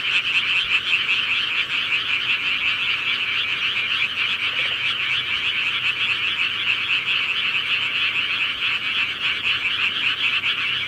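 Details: Night-time countryside frog chorus, with countless frogs croaking together in an unbroken, pulsing high trill that holds evenly throughout, with no other clear sounds.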